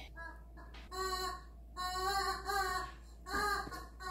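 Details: Miko, a pet Siberian husky indoors in a small room, vocalizing after remembering his chicken: a series of short, tonal, harmonic howling notes, each about half a second to a second long, separated by brief pauses.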